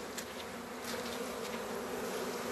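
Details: Honey bee from a queenless colony fanning its wings hard at a foreign hive's entrance in February, asking to enter without being attacked; an even, faint humming buzz throughout over soft hiss.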